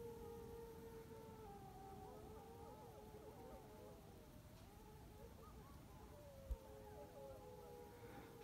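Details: Wavering, siren-like howls rise and fall over a low rumble on a snowy January evening near a village in Dersim (Tunceli), Turkey; screaming notes suggest jackal, though the recordist thinks wolf.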